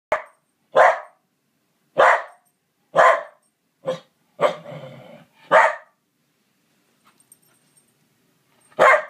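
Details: A Pembroke Welsh Corgi barks at a stuffed toy corgi it spotted on a bookshelf, giving a run of sharp, mid-pitched barks spaced about a second apart.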